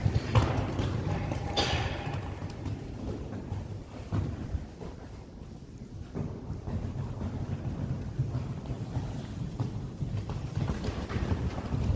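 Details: Low wind buffeting on the microphone, with scattered thumps and rustling outdoors, and no clear animal calls.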